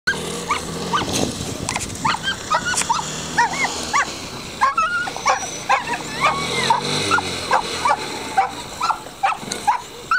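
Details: Standard Schnauzer outdoors during its second coursing training, giving a rapid string of short, high, ringing yips and barks, some with rising then falling pitch, roughly several per second, with brief pauses and faint background noise.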